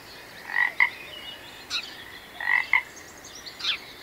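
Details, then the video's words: Frog calling in a relaxing nature setting: short croaks given in pairs, a brief burst then a sharper click-like note, repeated about every two seconds, with fainter chirping calls in the background. "Magical Frog Sounds"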